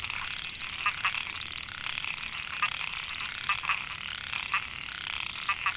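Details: Calling males of Microhyla pulchra, the narrow-mouthed frog, in a rice field at Mae Hia, Chiang Mai, Thailand, recorded in 2014. A steady rasping chorus is punctuated by short, bright, clicky notes in pairs and singles.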